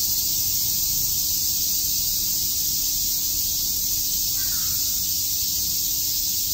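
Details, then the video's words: Summer cicada chorus in Shakujii Park, Tokyo, a constant shrill buzzing wall of sound without pauses, and a brief faint call from another animal partway through. "Cicada chirps"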